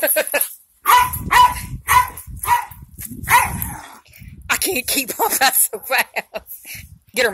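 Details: Two pet Jack Russell Terriers at play. Short sharp barks repeat about every half second over the first few seconds, then a person talks over scattered yips and rustling.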